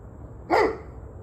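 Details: Dog barking on 21 November 2023 at 7:06 pm: one loud, short bark with a rough, harmonic-rich tone, over steady low background hum.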